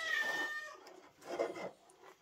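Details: House cats being fed breakfast of squirrel; a drawn-out, steady whining meow opens the clip, followed by a shorter, softer meow about a second later in a small indoor room.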